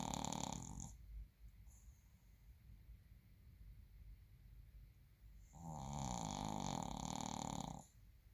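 A Shih Tzu snores in two long, rasping, rumbling breaths separated by a quiet pause.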